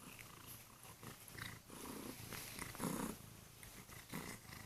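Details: Kurilian Bobtail cat purring loudly on the bed while waking its owner in the morning, also nibbling the owner's hands gently; a steady low rumble with louder swells, indoors in a bedroom.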